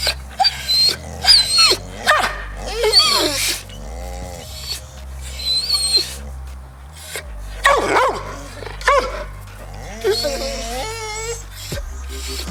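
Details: Several dogs making assorted noises: short barks, high whines and drawn-out wavering howl-like cries, with a steady low musical drone underneath throughout.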